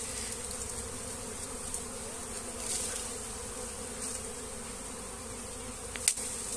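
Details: Many honey bees around a comb being shifted by hand into a hive box, giving a continuous low droning buzz with faint handling knocks and a sharp tap near the end.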